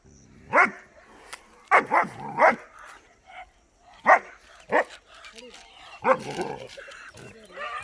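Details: Young German Shepherd Dollar barks at buffalo, seen for the first time in a new environment: bursts of two or three rough barks, then gaps, with human voices speaking Hindi in between.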